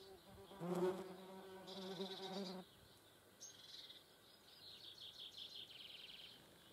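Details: German wasps at a feeding place: a loud, low droning buzz with a steady pitch lasts about two seconds and then cuts off, leaving thin, high bird chirps twittering in the background.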